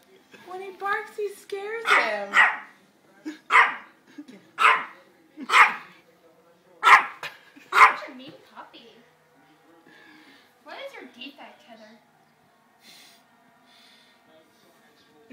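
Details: A puppy described as vicious barks at a baby indoors: sharp, high, harmonic barks in a rapid series of about eight over the first eight seconds, with laughter and speech before and after, then quieter voices.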